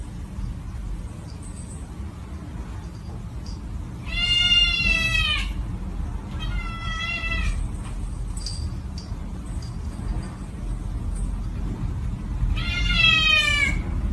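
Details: A scared cat gives three loud, drawn-out, wavering meows, each about a second long and spaced several seconds apart, over a steady low rumble of background noise.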